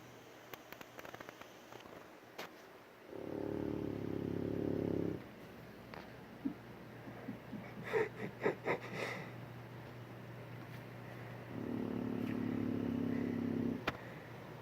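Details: An Old English Bulldog snores with long, rumbling, rasping breaths about eight seconds apart.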